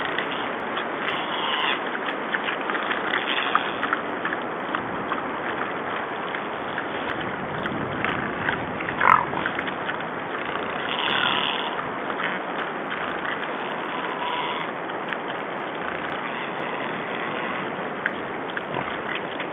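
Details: Six wild boars recorded on 14 February 2012 make a busy mix of squeaky squeals and snorting grunts, with sharper cries rising above now and then, over a constant coarse hiss.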